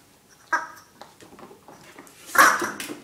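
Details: A male Pembroke Welsh Corgi playing tug with a yellow puppet gives two short, sharp barks about two seconds apart, with faint whines between.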